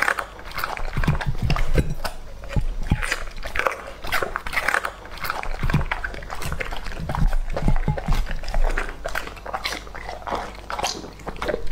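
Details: Lucky, a two-and-a-half-year-old male English-type Labrador Retriever, eats raw meat indoors: dense crunching and biting, with wet chewing bursts that come in quick irregular runs and strong low thumps.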